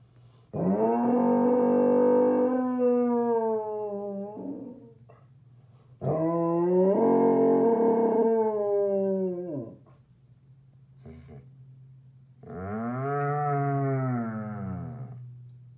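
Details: Basset Hound giving a sad howl: three long, drawn-out howls rich in harmonics, each swelling, holding steady and then sliding down, the first two about four seconds each and the last one shorter, over a steady low hum.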